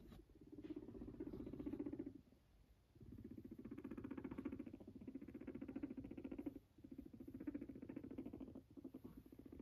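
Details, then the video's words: A fluffy long-haired guinea pig sits next to its owner and purrs in low, rapidly pulsing bursts lasting a couple of seconds each. "A fluffy guinea pig sweetly purrs next to its owner"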